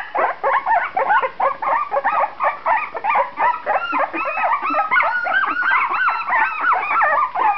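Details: A chorus of two-and-a-half-week-old puppies from Shenna's C litter, eyes just opened, squealing together; dense overlapping whiny yelps, many arching up then down in pitch, continuous and fairly loud throughout.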